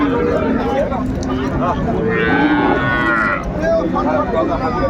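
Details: Cattle at the Ambari cattle market in Dinajpur on 31/1/25, where cows and calves are being bought and sold: one drawn-out mooing call in the middle, set against steady buyers' and sellers' chatter and market bustle.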